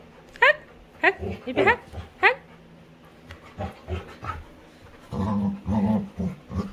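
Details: Labrador retriever female playing with her owner indoors, giving short high whining yelps early on, then low rumbling growly vocalizations toward the end, with a person talking softly in between.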